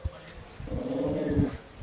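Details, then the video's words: Male West Highland White Terrier kept as a pet, 'talking' with his owner: a sustained, moaning, whine-like tone that holds steady for nearly a second with a strong harmonic stack, after a short low huff. "Another chat with my talking dog"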